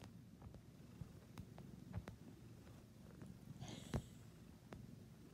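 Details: Domestic cat purring, a low steady rumble with faint rhythmic pulses, broken by a few soft clicks and one brief higher rustle near the four-second mark.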